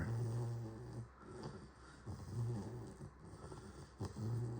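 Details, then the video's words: Low, rough snoring of a puppy resting after a shower, slow uneven breaths with short rumbling tones over a constant hiss. "Snoring puppy after a shower"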